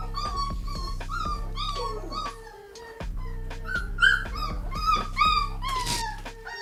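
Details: Hungry American Bully puppies about 3 weeks old or more whine in high, wavering tones over steady background music as their mush feeding is brought.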